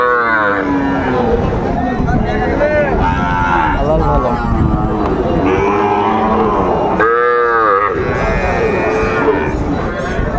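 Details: Sahiwal bull calves at a cattle market, 2 August 2024, where a farmer from Kushtia, Bangladesh buys calves; a drawn-out harmonic moo rises near the start and another loud low moo follows later, over steady crowd chatter and voices.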